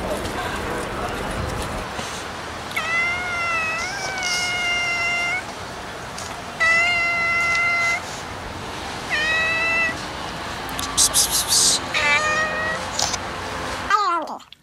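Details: Domestic cat in a compilation of cats and kittens meowing, giving a series of drawn-out harmonic meows, some rising and some level, roughly every one to two seconds, with brief rustling and a sharp noise near the end.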